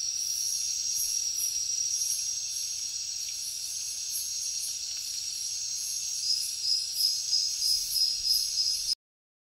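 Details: Crickets call as a calming nature sound: a steady, high, shrill trilling chorus. A pulsing, rhythmic layer of chirps repeats about three times a second, stronger toward the end, then stops abruptly.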